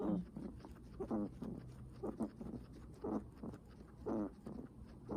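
A guinea pig breathes heavily, with raspy, slightly squeaky breaths coming about once a second.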